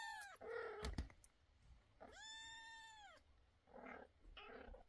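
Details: Meowing kittens, one giving an arched, drawn-out cry that rises and falls over about a second, framed by shorter bleating meows, knocks and a couple of muffled, breathy squeaks.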